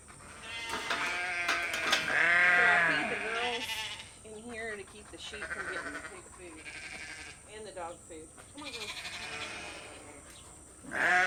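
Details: Sheep bleating on a farm as they come for food at feeding time, hearing the food buckets being picked up; loud wavering bleats, several overlapping, from multiple animals, with a woman's voice calling them and a steady high hum throughout.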